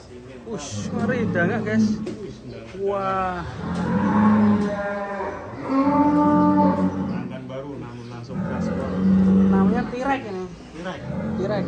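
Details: Cattle on GST Farm, a farm keeping 150 head, lowing repeatedly: several drawn-out, deep moos about two seconds apart, each rich in harmonics and sliding slightly in pitch, with faint background chatter.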